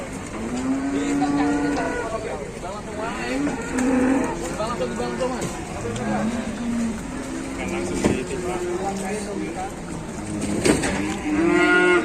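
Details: Very large cattle in Indonesia: several low moos, some drawn out and some short, spread through the recording, mixed with people talking and crowd noise.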